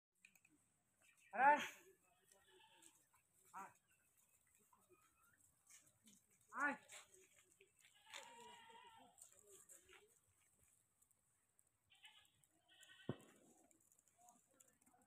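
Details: Domestic goat kept under simple farm rearing, giving two loud, quavering, harmonic bleats about five seconds apart with a brief softer one between, followed by low murmuring voices and a sharp knock near the end.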